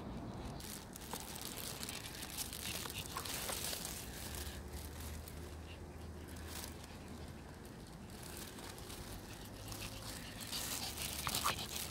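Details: Rustling and crinkling handling noises with soft patter and faint distant voices, with no animal calls.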